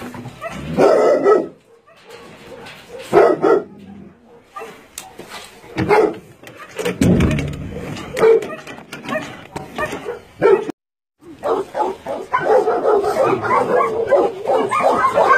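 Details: Dogs at a combined meat farm and puppy mill in Nonsan, South Korea, January 2017, bark in irregular clusters with gaps and a brief silence, voices faintly mixed in.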